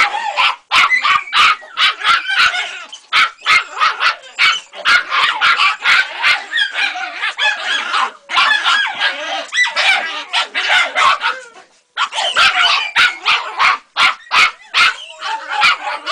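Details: Three-month-old Jagdterrier puppy on its first encounter with a rat, giving rapid high excited yips and barks in dense bursts, almost continuous with brief pauses.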